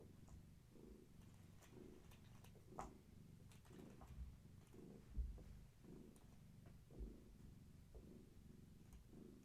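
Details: Kittens of Gaia, a long-haired tabby house cat, purring during evening play and leg massages indoors; deep continuous purr pulsing in even waves about twice a second, with occasional light taps.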